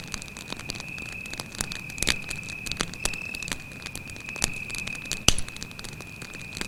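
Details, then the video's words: Continuous shrill cricket trill at one even pitch, recorded at night next to a campfire in a forest, with frequent loud pops and crackles from the fire. "звуки сверчка"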